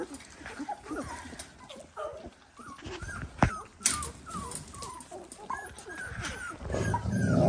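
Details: Dalmatian pups, 18 days old, keep up a steady run of high rising-falling squeaks, roughly two per second, punctuated by a couple of sharp knocks and a swelling noisy rustle at the close.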